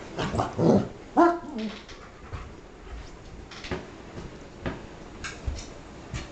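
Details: Dogs barking in a quick burst of sharp woofs at the start, then softer scattered yips and thumps, indoors.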